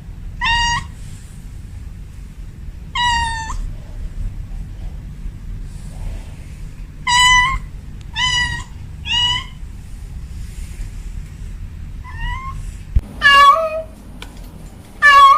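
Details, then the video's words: Domestic cat calling indoors, giving clear tonal meows in short bursts, some paired, spaced irregularly about two to four seconds apart, with a low steady background hum and two higher, strained meows near the end. "Suara Kucing Memanggil"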